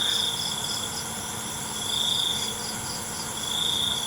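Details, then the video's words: Night cricket chorus: a continuous high-pitched buzzing trill that swells and fades in long phrases, backed by a thick hiss of other insects and a soft low hum. "ALUNAN CENGKERIK MALAM"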